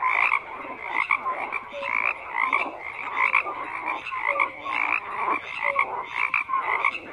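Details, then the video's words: Frogs croak in a thick, continuous chorus: layered raspy calls with occasional short whistled tones, swelling and fading in quick irregular waves. "FROGS CROAKING"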